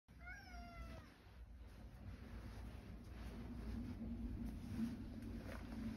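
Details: Male rescue cat living with an elderly woman, returning home with a mole; one short descending meow with clear harmonics in the first second, then steady low background rumble and faint household sounds.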